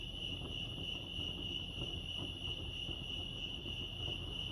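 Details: Chirping crickets at Lake Arrowhead, California, heard as a sustained, uniform high-pitched buzz-trill over quiet low rumbling ambience.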